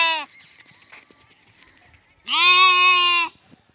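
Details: Lamb calling: the tail of one bleat opens the recording, then after a two-second pause of light rustling comes a full, loud, steady bleat lasting about a second.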